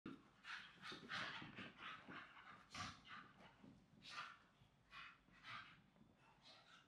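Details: Staffordshire Bull Terrier pups, siblings, wrestling and rolling on a new soft blanket put out for the cold; rough breathy huffs and pants in quick irregular bursts, some with a harsh hissing edge.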